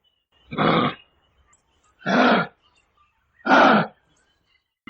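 A red kangaroo makes rough, hissing grunts, each a short burst of about half a second. Three come in steady succession, roughly every one and a half seconds, with quiet between them.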